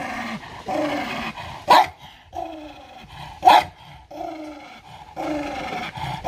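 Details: Aggressive dog fighting for food, rough rumbling growls rising and falling in long bursts about every second and a half, punctuated by two sharp loud snaps or barks.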